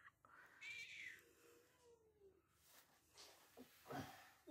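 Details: At a Russian animal shelter, a mother cat whose kittens were bagged and thrown in a rubbish container gives a long, drawn-out, falling meow, crying for her kittens, with people talking afterward.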